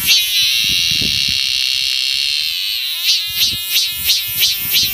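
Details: A cicada calling on the Mutianyu section of the Great Wall of China north of Beijing: a loud, steady high-pitched buzz with dense harmonics, then pulsing into rhythmic surges about three per second.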